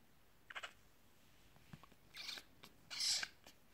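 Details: A premature three-day-old male caracal kitten, removed from his dead mother, gives short, breathy, hissing bursts, the loudest near the end.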